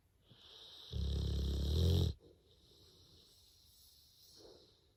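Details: Male pet bulldog snoring loudly while asleep: one long, rough, low rumbling snore lasting about a second, followed by quiet breathing and a faint softer snort.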